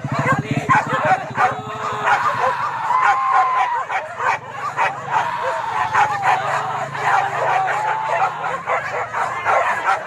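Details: Pack of boar-hunting dogs at Kayu Ampek, Tanah Datar: continuous overlapping barks and high yips, a low motor-like drone at the start and again midway, and human voices in the background.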